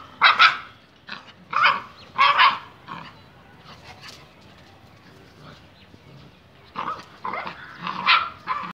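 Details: Bullmastiff and Labrador fighting, a Labrador defeating a bullmastiff: loud harsh barks in two bursts, three sharp barks in the first three seconds, a quieter gap, then another run of barks near the end.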